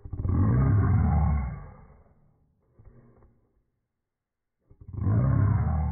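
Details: West Highland White Terrier roaring: a loud, deep, drawn-out rumbling cry lasting over a second, a quieter grumble, a pause, then another loud roar beginning.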